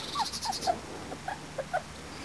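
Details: Four-and-a-half-week-old Springer Spaniel puppies out for the first time in their lives, giving a quick series of short, falling squeaky whimpers against a quiet background.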